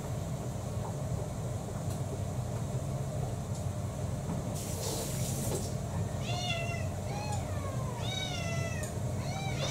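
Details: Mealtime in a multi-cat household: a brief hissing rustle partway through, then a rapid series of five or six high, bending meows in the final seconds over a low hum.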